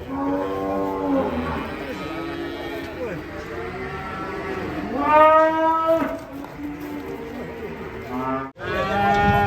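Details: Agitated, rampaging cattle give deep, sustained moos. One comes at the start and a strong, swelling bellow mid-way, then a short break before a final loud moo.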